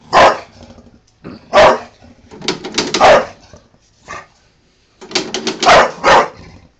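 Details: Female Bulldog barking at a lawnmower, angry: sharp broad barks in bursts, single then rapid clusters over several seconds, with a person's voice urging her on between barks.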